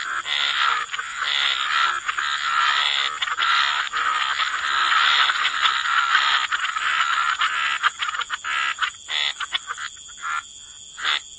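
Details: Frogs croaking by the waterside in a dense, overlapping chorus of raspy calls, mid-pitched and continuous, thinning into separate bursts toward the end, with a steady high hiss of insects behind.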